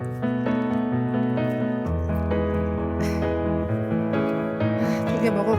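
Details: Steady piano music plays throughout with a voice speaking over it, and no animal sound comes through.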